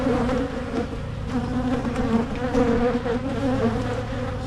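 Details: Colony of honeybees buzzing as a Michigan hive is opened for splitting to head off swarming; continuous low, even drone with a layered hum and small pulsing swells throughout.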